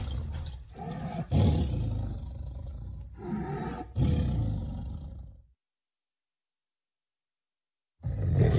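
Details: Heavy, very low tiger roaring with rasping growls in several surges, a sudden silence of about two and a half seconds, then another deep roar.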